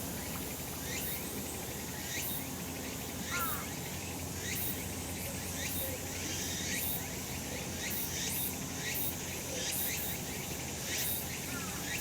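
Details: Cicada chorus on a sunny summer mountain: repeated sharp, buzzy upward sweeps from several insects, steady and overlapping, with a soft high drone behind and a faint brief chirp near the start.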